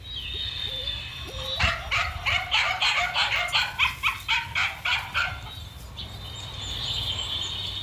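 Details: Male dog, running, gives a quick run of about a dozen sharp, evenly spaced barks in the middle, preceded and followed by quieter stretches with a steady high insect-like hum in the background.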